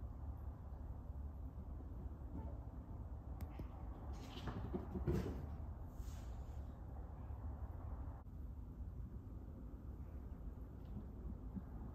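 Low indoor rumble with a few soft knocks and rustles, like a cupboard or door moving.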